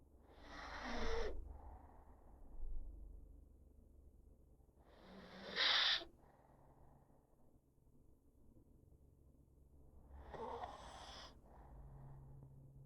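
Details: Pug sound asleep on a person's lap, snoring; three loud raspy snorting inhalations roughly every five seconds, each about a second long, followed by softer wheezy exhalations in a quiet room.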